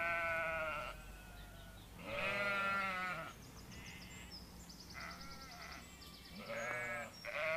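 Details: Sheep bleating in a series of four harmonic baa calls, each about a second long with a wavering tone, separated by short pauses, with faint high bird chirps in the background.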